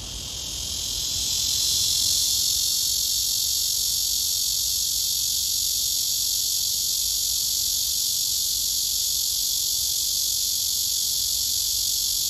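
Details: Male-style love serenade of a summer cicada calling for a mate: a strong, continuous, piercing buzz that rises over the first two seconds, then stays level and unbroken for the rest.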